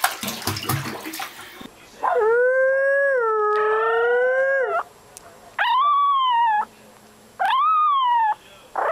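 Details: Chihuahua howling in long, sustained tones. A steady, wavering note of about three seconds is followed by two shorter arched howls that rise and fall. Brief music and clatter are heard at the start.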